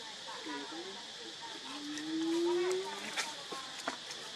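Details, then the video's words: Baby monkey Lucie crying pitifully for milk, foaming at the mouth: a long, drawn-out tonal wail that slowly rises in pitch over about a second, with softer broken vocal sounds before it, a steady high hiss and a few clicks. "Lucie Very Pitiful Need Milk Crying"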